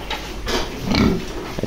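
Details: Purebred Yorkshire grandparent-line sow on a farm, having just given birth for the first time: one short, low grunt rising out of a steady noisy background, with faint rustling around it.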